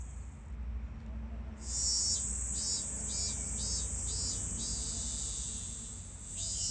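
A robust cicada sings a loud, high, steady buzz that pulses rhythmically before settling into a drone.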